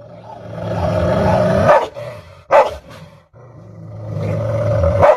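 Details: Dogs, a Rottweiler facing a tiny dog: a low, rumbling growl-like drone builds for nearly two seconds before sharp barks burst out around 1.7 and 2.5 seconds, then the rumble swells again and ends in another loud bark.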